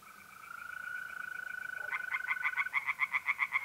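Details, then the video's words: Tree frogs singing at night from a pond in north-east Italy in mid-April. A smooth, unbroken mole cricket trill opens, then after two seconds a frog breaks in with quick, loud, evenly spaced knocking pulses. "relaxing singing tree frogs in pond"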